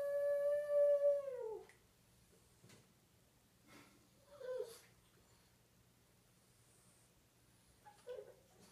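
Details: Indoors, pet pug Earl howls at his owner during playtime with his favourite chicken drumstick toy: a clear, sustained howl that falls away at the end, then quiet with small yips and a brief whine.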